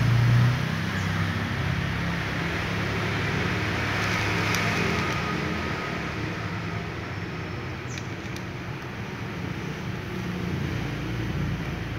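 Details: Steady road traffic rumble throughout, dominated by low-frequency engine and tyre noise with no clear voices.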